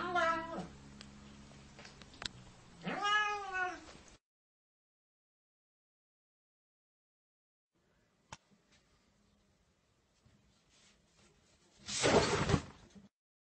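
A Siamese cat gives two long, loud, wavering meows with a strong nasal, yowling tone.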